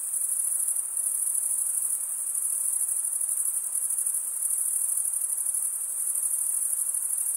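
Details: A chorus of crickets gives a constant, very high, ringing stridulation with a faintly pulsing texture and small rises and dips in volume. Nothing else is heard.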